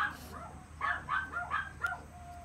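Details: Long-haired male Chihuahua puppy born 13 April 2018 yelps in thin, high whining notes, a few spaced cries followed by a tight cluster of four, with a low background hum throughout.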